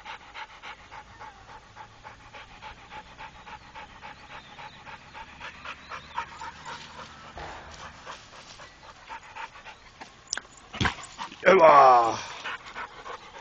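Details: Faint fast panting from Rako, a trained Pit Bull, through the first half, then a sudden loud rustling clatter near the end.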